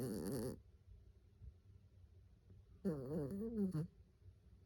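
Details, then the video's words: Choco, a Maltese terrier mix, naps deeply and snores loudly, eyes half open with only the whites showing. Two nasal, wavering snores with stacked tones, one at the start and one near three seconds, separated by quiet breathing. "강아지인지 사람인지 구별안가는 코골이"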